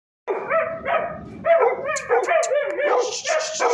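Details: Black Labrador at the Sunday dog market in Tollinton market, Lahore, Pakistan: a quick run of short, harmonic yelping barks and whiny rising yips, several per second, with some sharper high squeaks mixed in.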